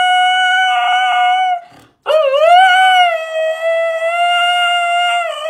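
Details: Siberian Husky kept as a pet in Voronezh, Russia, recorded April 4, 2021, showing off its voice. A sustained shrill howl breaks off, and after a gasp a new howl slides upward and then holds a level, piercing note.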